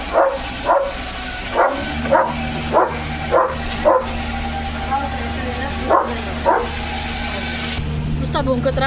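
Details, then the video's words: Yard recording of Leo, a German Shepherd, barking repeatedly at a droning machine; about ten short barks in steady succession over a low mechanical hum, a brief pause midway, and a man's voice. "Leo The German Shepherd ची भुंकण यंत्रणा सुरू"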